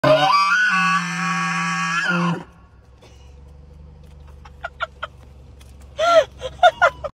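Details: A bull elk bugles loudly at point-blank range, a high whistling scream over a deep roar, followed by short grunting chuckles.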